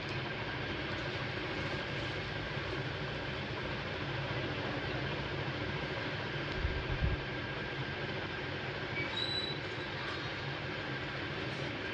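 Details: Steady broadband rumbling noise like a passing train or vehicle, with no animal voice heard.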